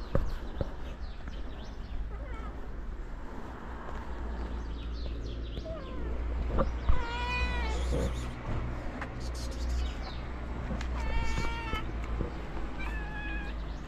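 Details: Stray cats in Morocco meow at their feeder: a few short, bent meows stand out, with a pair close together and a later one, over constant low background noise and faint scattered clicks.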